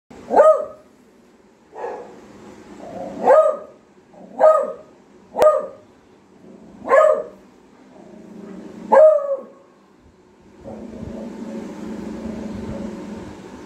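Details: A female beagle barks at a washing machine, apparently set off by its cover, each bark a short, forceful burst every one to two seconds; then a steady mechanical rumble takes over.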